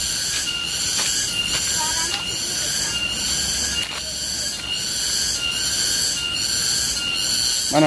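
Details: Wild garengpung cicada, a tonggeret, gives a loud, shrill, continuous metallic whine. The tone is layered and steady, with regular throbbing pulses roughly every half second to second. The drone is sustained throughout, with a brief rattle right at the end.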